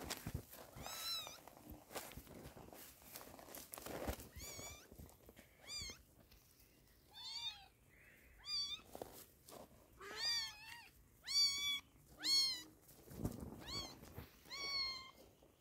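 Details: Kitten meowing while being treated with eye drops for sore eyes; high, wavering meows come in repeated bursts, several close together, with soft handling rustles between them.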